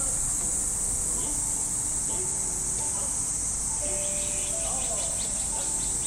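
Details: Japanese summer morning in a park: cicadas keep up a dense, even high-pitched buzz, while faint thin whistled notes and distant radio calisthenics music drift underneath.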